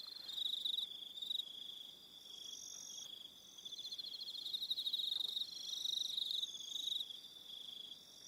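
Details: On Aroha Island in New Zealand, evening crickets keep up a high, fast-pulsed trill rising and dipping in loudness, joined by softer, higher chirping strands from other insects in the background.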